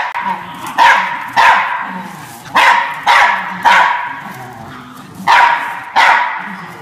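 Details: Ernie, a Norfolk Terrier guarding his bean bag chair, barks in single sharp yaps spaced about every half second to second, each loud and clipped, over a low murmuring background.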